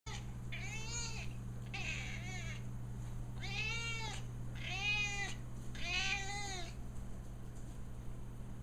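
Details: A 14-year-old female cat begging indoors for food or attention, giving five drawn-out meows with rising then falling pitch at roughly one-second intervals over a steady low electrical hum.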